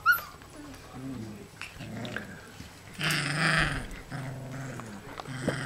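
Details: Four-week-old puppies making short whimpering and growling sounds, with low tonal whines, a brief squeal at the start and a louder burst of overlapping cries midway.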